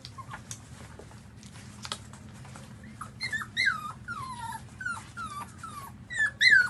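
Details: Suckling newborn puppies at their mother's milk: quiet at first, then a rapid string of high, bent whimpers and squeals, each sliding downward, ending in a loud shrill cry, with a faint low hum beneath.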